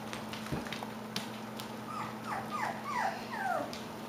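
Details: Klee Kai / Shiba Inu puppies, five weeks old: about six short, high whimpers in quick succession, each sliding downward, packed into two seconds against a steady low hum.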